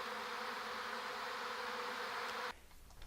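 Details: Big Western honey bee swarm hanging about head high before capture, at a garden beeyard in Washington, Virginia, May 4, phone recording: steady dense buzzing hum for two and a half seconds, then an abrupt cut to quieter background.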